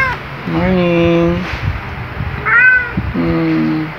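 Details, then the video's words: On waking, Luna the black male cat meows loudly and cheerfully beside his owner: two long, level, drawn-out meows and a short higher one between them, with a woman's voice speaking affectionate greetings in the background. "Luna Black Cat Always Wakes Up Beside Me with A Loud Jolly Greeting"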